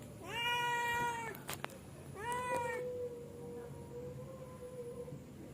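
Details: Cat settling down to sleep utters two long, even-pitched meows about a second apart, followed by a quieter sustained tone fading out, over faint background hum.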